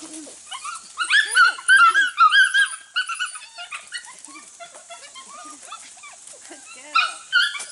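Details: Young Border Collie pups from two litters, aged six to eight weeks, on goats for their first time; a dense run of high, ringing yelps and whimpers about two seconds long, quieter calls afterwards, another loud burst near the end.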